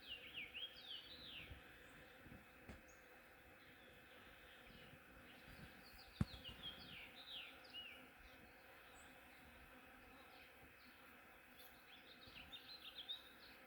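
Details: Hundreds of honeybees harvesting from a flowering ornamental cherry tree in the morning make a steady, loud, low droning hum, with bright bird chirps over the top.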